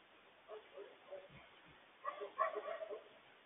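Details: Coyotes yipping frantically to warn the family about a large loose stray dog; short high yelps and whines in quick bursts, with a stray dog's bark mixed in.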